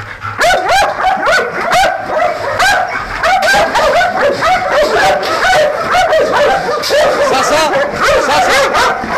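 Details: Belgian Malinois guard dogs in Nafplio, Greece, trained to guard a large industrial area at night, bark excitedly. Loud, rapid, harmonic yelping barks pour out almost without pause, with high yips over a constant burst of voices.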